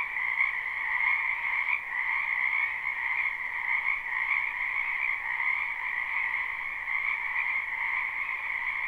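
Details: Spring wetland frogs in full chorus, recorded live: countless overlapping croaks merge into a continuous buzzy hum that keeps an even loudness throughout, with no other sounds standing out.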